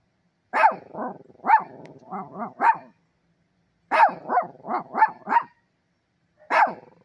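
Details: A dog barking at cranes gives three bursts of short, sharp, mid-pitched barks, four to five quick barks per burst, separated by brief pauses.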